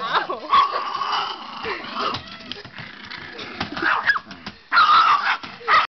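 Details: Caged pet dog going frantic when someone touches its cage, screaming in shrill, harmonic screeches and yelps that come in ragged bursts, loudest near the end, with clattering and some human voice mixed in.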